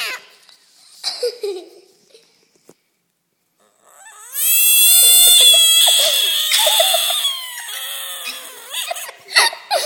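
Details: A pond frog, just caught, lets out a cat-like scream: a long, loud, quavering cry rising then sagging in pitch, starting midway after people talking and breaking into shorter wails near the end.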